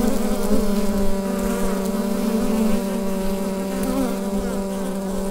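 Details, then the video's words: Bees inside a hive, recorded with a Rode NT-USB microphone: a steady, dense hum centred low, with layered overtones stacked above it and slight swells in intensity, no other sounds present. "Bee Hive Sound Effect"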